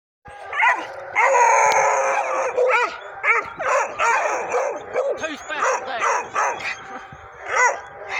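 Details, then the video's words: Two Pitbull x Bluetick Coonhound cross pups and their mother barking at a raccoon: a dense run of overlapping loud barks and bays, several dogs calling at once, harsh and repeated in quick bursts throughout. "Pitbull bluetick cross pups bark at coon"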